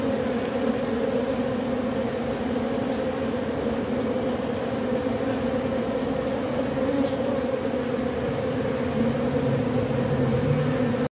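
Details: Robber bees stripping propolis from matchsticks produce a persistent humming buzz for the whole stretch, steady in pitch and volume, with two clear droning bands and little else.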